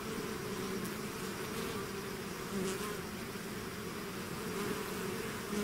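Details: Bee swarm out of its hive: a steady, dense buzzing hum of many bees, with strong drone bands low in pitch and faint higher whines passing now and then, no other sounds.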